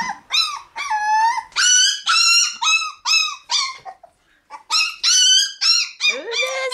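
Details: Shiba Inu puppies in a puppy room becoming livelier: a rapid run of high, bright yelps and whines, roughly two per second, with a brief pause midway before the calls resume.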